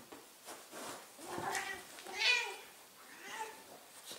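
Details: ['Indoors, an old Ragdoll cat, a 15-year-old female, howls during a wrestling game she asks for. Two strained, drawn-out meows, the second louder and rising, come over light rustling.']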